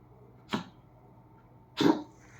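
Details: Dog coughing indoors, two rough hacking bursts about 1.3 seconds apart, the second louder and longer. A sharp click follows, and quiet room noise fills the gaps.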